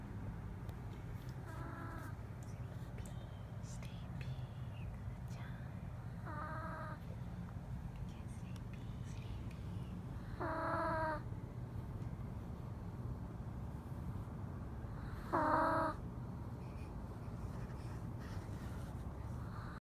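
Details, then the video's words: Small dog asleep on a person's legs snores; whistly, nasal snores with a clear tonal ring recur roughly every four to five seconds over steady low breathing rumble. "Small Snoring Dog"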